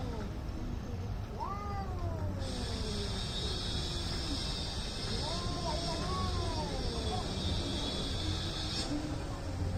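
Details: Two angry cats in India facing off before a possible fight, giving long wavering yowls that rise and fall, with a steady hiss of background noise and low rumble throughout.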